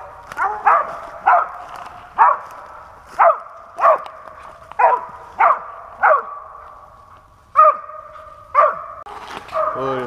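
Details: Pennsylvania squirrel-hunting dog barking at a steady pace, single barks roughly every second, a few stretched into longer tonal bays near the end, in an otherwise quiet outdoor setting.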